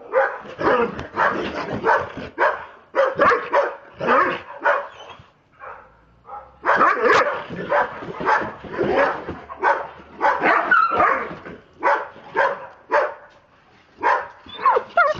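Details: Two Dobermanns acting crazy, barking in rapid, dense bursts, loud sharp barks tumbling over one another with brief pauses near the middle, energetic and continuous throughout.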